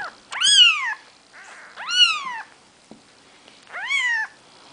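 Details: A four-day-old Maine Coon kitten gives three thin, high mews, each rising then falling.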